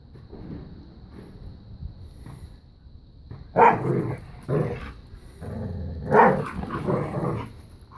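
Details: A new puppy and Bella, a five-year-old black lab pitbull, growl at play over tug of war: soft low rumbling at first, then two loud harsh growl-barks and shorter grumbles after.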